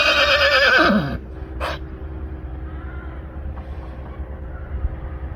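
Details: Johnny, a Friesian stallion eager to follow his mares inside, gives a loud neigh that falls in pitch and trails off after about a second, followed by quieter stable sounds and a steady background hum.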